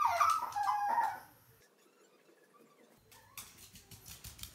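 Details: Pet Chihuahua indoors, anxious and lonely after being separated from its companion Chihuahua: a loud wavering whine near the start, then quiet with faint rustling and handling noise.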